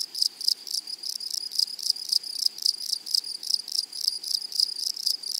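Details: Grasshoppers in a flowery meadow, prairie setting, giving a high, dry pulsed chirping, roughly four bursts a second, steady throughout with a thin shimmering upper tone and no other clear sounds.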